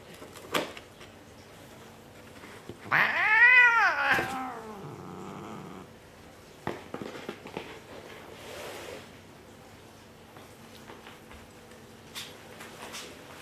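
A Bengal cat gives one long, loud, wavering meow that rises and falls over about a second.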